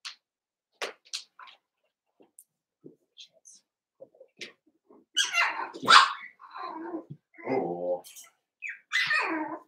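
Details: Cavalier King Charles Spaniel puppies, Daisy's litter of six merged with Robin's two pups, at play indoors: scattered soft clicks and short squeaks, then a burst of sharp high yelps, a low growly grumble and a final rising whine.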